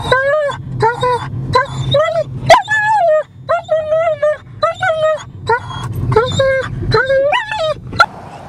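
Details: Ten-month-old German Shepherd puppy at the American River in Sacramento, California, giving a rapid series of about a dozen high, piercing whines and yelps, some bending up or down in pitch, each under a second long.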